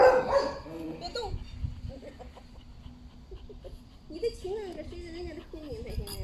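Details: Golden Retriever named Zhuangzhuang, excited and fawning while greeting its grandmother after days apart; high, wavering whines that rise and fall in pitch in short bursts, with people talking and laughing over them.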